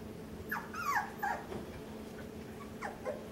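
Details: Puppies on a puppy cam, introduced to overhead obstacles and things to climb on, giving several short high whimpers and squeals with falling and wavering pitch, bunched in the first second and again near the end, over a steady low hum.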